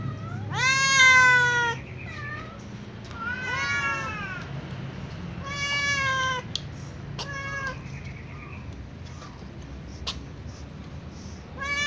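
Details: A calico cat, running to its customary eating place among other cats, gives three strong meows followed by shorter, fainter mews and a few sharp clicks, over a low steady hum.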